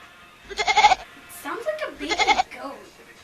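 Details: Kitten meowing like a goat: two loud, shaky, pulsing bleat-like cries about a second apart, each wavering rapidly in a goat-like tremolo, with softer murmurs and a human voice between them.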